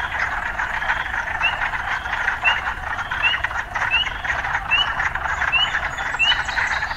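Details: Chorusing urban frogs give steady buzzy calls, with short rising chirps repeated about every second over them and a faint low background rumble.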